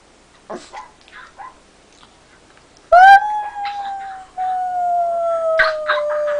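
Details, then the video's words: Dog making funny noises: a few soft whimpers, then a long clear howl-like tone that starts sharply and slowly falls in pitch over several seconds, with light background music. "Hilarious Dogs Making Funny Noises"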